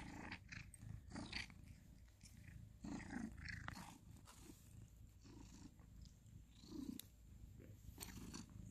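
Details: Indoors in November 2020, ginger cat Sir Salmon purrs during mutual grooming with tabby housemate Abby Tabby, a continuous low rumble broken by rustles, faint clicks and brief bits of quiet human talk.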